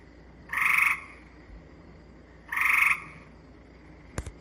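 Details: Gray treefrog (Hyla versicolor) recorded in Manitoba gives two short, flat-pitched musical trills, each made of clearly separate pulses, unlike the more continuous buzz of Cope's gray treefrog.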